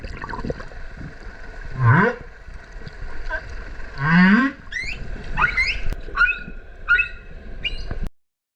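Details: Humpback whales, a mother and calf, singing in Kerama Islands waters off Okinawa during the winter breeding visit: two deep upswept moans followed by a string of short, bright, rising chirps and whoops, underwater.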